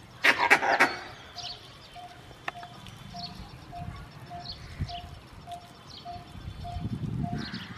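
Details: Angry alarm calling of a male Indian grey langur warning his group of danger: a burst of loud, harsh barking calls in the first second, then an evenly repeated high tone and faint rustling in the background.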